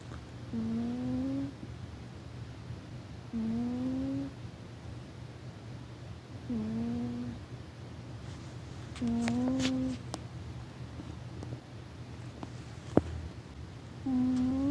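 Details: Rufus, a pet cat, sleeping and snoring loudly indoors: a whistled, slightly rising nasal tone on each breath, repeating roughly every three seconds, with a faint low hum and an occasional click in a quiet room.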